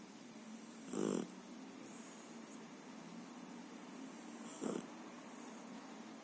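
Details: Japanese dog snoring in its sleep, two rough, buzzing breaths about three and a half seconds apart, the second shorter and softer, against steady low hiss.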